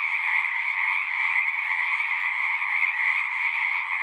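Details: Chorus of frogs at a pasture pond, captured on a Zoom recorder; many callers blend into one constant, shimmering high trill with a fainter lower layer, no pauses or other sounds.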